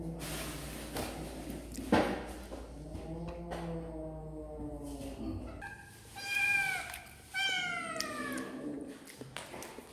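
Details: While eating snacks, kittens give a long, low, wavering meow, then high, thin kitten mews that rise and fall near the end. A brief word of speech and light clatter are also heard.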